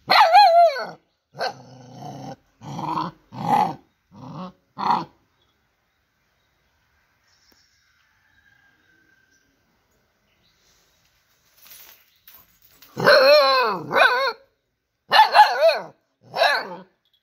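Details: Dog giving bursts of loud barks and drawn, howl-like yelps: a cluster of five or so calls in the first five seconds, a long silence, then another noisy group of rapid barks near the end.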